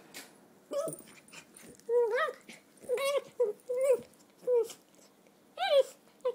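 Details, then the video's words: Donut, a three-year-old red toy poodle bitch, during the usual game: a run of high, wavering whimpers, each rising then dropping, coming in short bursts roughly every half second to second, with brief gaps between. "Donut and Her Whine"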